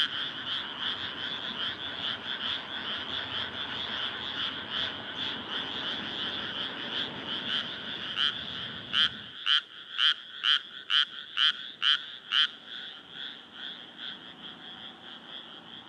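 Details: Early summer night chorus of frogs in rice paddies, Nara Prefecture, Japan, 25 May 2024, moon rising; steady overlapping croaking, then a nearby frog bursts into a quick run of loud pulses before the chorus continues alone.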